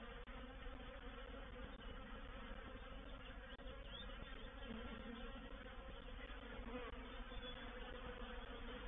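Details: Honey bee reproductive swarm entering a bait hive, recorded 04/07/21: a thick, continuous buzzing drone of many bees, even in loudness throughout, with a low steady hum underneath.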